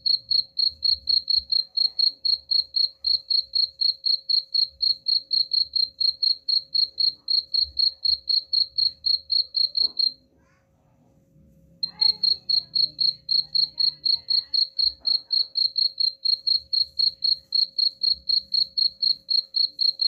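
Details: High-pitched cricket chirps, used as a rat repellent sound, pulse evenly around four times a second, stop for under two seconds, then carry on unchanged; a faint constant hum and light low rumbling sit beneath.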